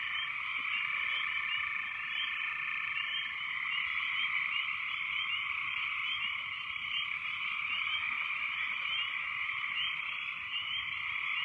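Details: Very loud frogs calling after heavy rains, a dense chorus of many overlapping callers forming a steady, continuous wall of rapid trilled pulses at a fairly high pitch, unbroken for the whole stretch, with no other clear sounds.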